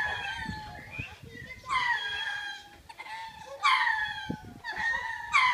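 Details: {'text': 'Lemurs calling to claim their territory and drive off birds or predators, a routine done twice a day; strained, descending, harmonic-rich cries arrive in bursts over a steady tonal drone and thumping noise.'}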